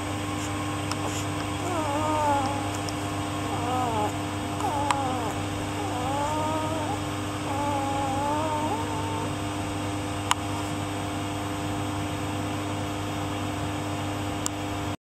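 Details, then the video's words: Male Rough Collie puppy, 12 days old, hidden under a blanket and growing cold, gives a run of thin wavering whimpers that rise and fall over about eight seconds, over a steady low room hum. "COLLIE rough puppy sweet baby dog hidden in a blanket"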